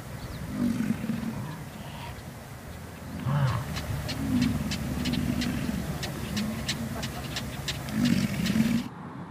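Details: American bison herd grazing at Yellowstone, giving low, rumbling grunts several times, with a run of sharp clicking sounds and steady outdoor background noise.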